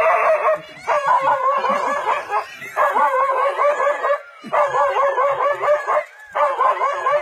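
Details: Dog standing its ground against a leopard in a forest, barking in rapid loud bursts of several yaps each, separated by short pauses, harsh and strident throughout.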